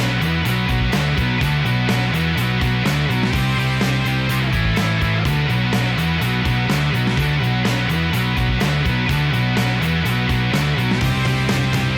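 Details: Loud rock music with driving guitar and a steady bass rhythm fills the whole stretch, with no animal sound heard.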